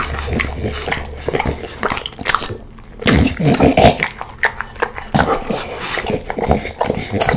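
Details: Slobbery Bulldog eating a big plate of spaghetti outdoors, messy wet slurping, smacking and snuffling sounds throughout, with some human voices in the background.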